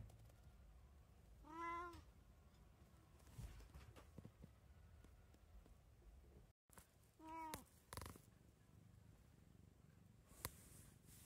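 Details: Munchkin cat from a three-cat household, 17 March 2024, giving two short rising-falling meows several seconds apart, with soft knocks and handling noise indoors.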